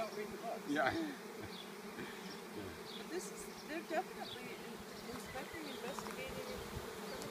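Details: Honeybee swarm being caught after falling out of a tree, bees investigating where the queen dropped to the ground; steady low hum of many wings with scattered higher buzzes and faint voices nearby.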